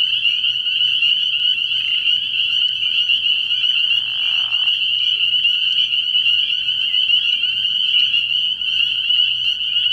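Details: Early-year frog pond at night full of spring peepers, their overlapping shrill peeps fused into an unbroken high ringing, with a brief soft rushing noise partway through.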